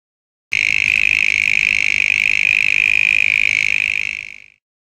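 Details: On a warm summer night in Pilanesberg, a male mole cricket gives a steady, high, pure-toned trill for about four seconds before fading. It sings from a double-horn burrow, and the love song carries about 600 m to attract females.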